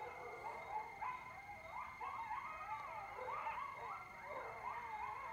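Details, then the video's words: Coyotes calling late at night in mid-October from a porch overlooking Lake Mendocino, California: a chorus of overlapping yips, warbling barks and short rising-falling howls, several animals at once, with a steady high electronic tone underneath. "Coyotes (Canis latrans) at Lake Mendocino Like I’ve Never Heard"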